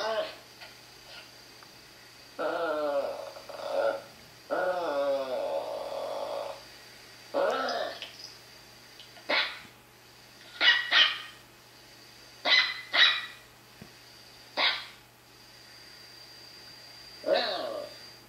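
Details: Indoors with seven-month-old Papillon Lola watching a Papillon dog on screen: two long wavering whining yelps early on, then a string of short high barks and yips spaced a second or two apart, over a faint hum.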